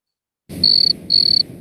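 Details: A cricket sings in high, pure-toned trills lasting about a third of a second each. It is one of three cricket species with distinct songs that call from the same patch of grass.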